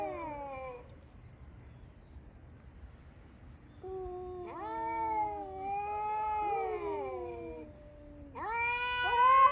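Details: Rival male cats quarrelling over territory in the morning in Okinawa, Japan: a low drawn-out wail fades, then after a quiet gap long wavering yowls return and climb to a louder, higher howl at the end.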